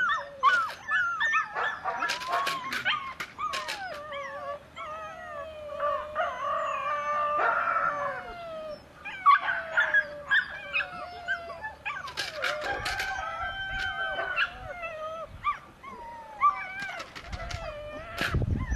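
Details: Belgian Malinois puppy whining in long, wavering high-pitched tones that rise and fall like small howls, broken by brief yelps, with scattered sharp knocks and rustling in the background.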